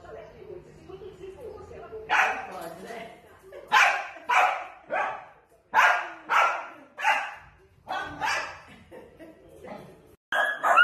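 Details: Dachshund puppies at play, giving a run of sharp, broadband barks in uneven bursts about half a second apart, with human speech mixed in between.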